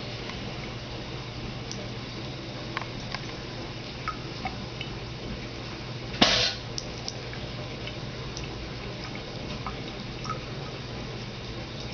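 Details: Quiet indoor room hum with scattered faint drips and taps and one sharp clatter partway through, with no animal voice audible.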